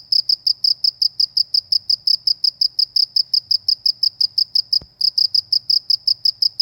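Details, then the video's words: Steady high-pitched cricket chirps in a peaceful village countryside, a regular train of quick pulses with one sharp click and a short break before the chirping resumes. "suara jangkrik di pedesaan"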